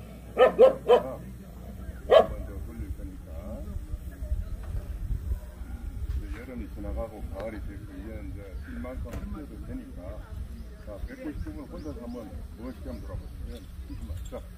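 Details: Young female Jindo, Hyeon-gwang, at the 66th Korea Best Jindo Dog selection show of the Korea Jindo Dog Association: three sharp quick barks in the first second, one more near two seconds, then announcer speech and low outdoor hum.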